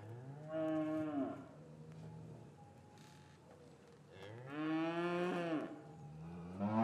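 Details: Cattle in an English yard on a winter afternoon, calves separated from their mothers, give two long, drawn-out harmonic moos that bend downward at the end. A quiet hum and soft yard sounds fill the gap between the calls.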